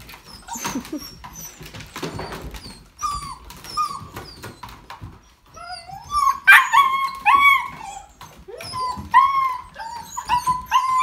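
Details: German Shepherd puppies in a group; repeated high whimpers and squeals, sliding down then levelling, bursts growing busier after six seconds, with shuffling and small yips between, indoors.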